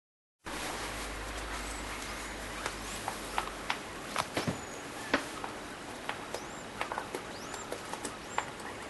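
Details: Degu in heat, courting a sock: faint, thin high chirps sweeping upward, scattered through the clip among soft clicks and rustling taps over a steady background hiss.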